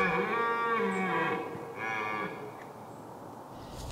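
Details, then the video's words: A lone red deer stag in woods beside a foggy, misty heath on a dry morning gives two deep, drawn-out groaning roars to intimidate rivals during the rut, following about ten hinds while two or three other stags trail him. "Red Deer Stag - Loudly Roaring to intimidate his Rivals!"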